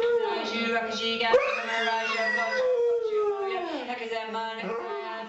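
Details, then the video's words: Three-legged dog howling in time with Buddhist chanting and a music track; a howl rises sharply, holds, then slides steadily downward, over continuous low chanting voice. "the three legged Buddhist Dog chants"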